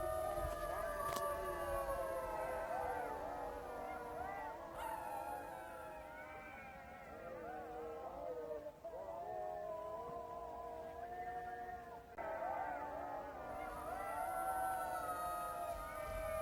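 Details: Jackals in a dense chorus of overlapping wailing howls. The howls waver and bend up and down, with quick yipping notes running through them. Brief dips near five and twelve seconds are followed by fresh bursts of calling.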